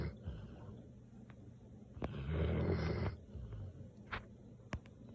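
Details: Snoring Samoyed gives one long, hoarse, low-pitched breath of about a second midway, amid soft breathing and a few faint clicks.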